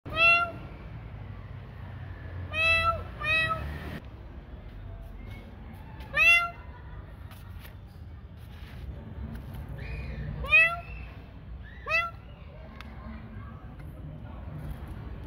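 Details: Cats at feeding time at night, meowing repeatedly: short, bright harmonic meows with a falling tail, arriving in bursts roughly every two to four seconds, some doubled, over a low steady background hum.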